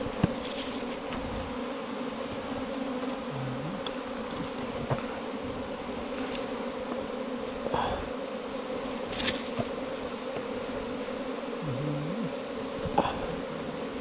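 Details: Bees at their nest inside a four-metre bamboo stem, droning continuously at low pitch, with scattered clicks and a few faint brief tones over the steady hum.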